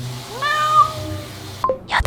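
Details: Domestic cat meowing at 8:15 in the morning, urging for breakfast: one drawn-out rising then level meow lasting about a second, followed by brief clicks and a rustle.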